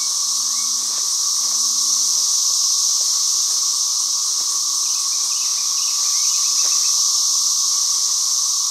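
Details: A mass of cicadas, emerged from holes in the ground, keeps up a loud constant shrill hiss, steady in pitch and volume, with a low hum underneath and a few faint chirping notes and clicks.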